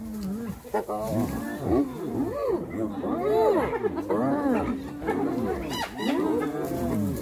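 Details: Attacking hyenas set upon another hyena, producing loud overlapping arched whoops, yelps and giggling cries in quick succession, with harsh noisy bursts mixed in.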